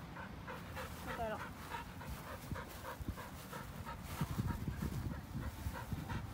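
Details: On a lawn, the old white Samoyed Pasepon keeps up fast rhythmic panting, short breathy puffs in a quick train, while a person speaks briefly and low rustling thumps sound nearby.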